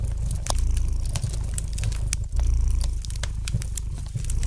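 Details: Gentle purring of a domestic cat by a fireplace: a deep, throbbing rumble in slow breathing cycles, overlaid with frequent light crackles and snaps of burning wood.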